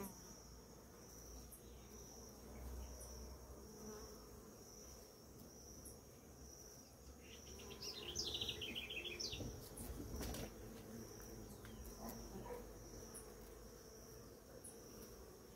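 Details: Many bees on flowering ora-pro-nobis in the morning: a low, steady droning hum runs throughout, with a constant high insect tone above, and brief bird chirps and twitters near the middle.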